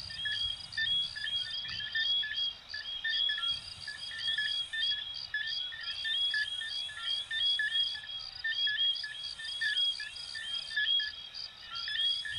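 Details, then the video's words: Dense coquí frog chorus from Venezuela and Puerto Rico: short chirps and rising whistled notes repeated roughly once a second by many frogs, backed by an unbroken shrill insect buzz. "Sonidos de Ranitas de Venezuela 🇻🇪 y Puerto Rico 🇵🇷 "Coquí""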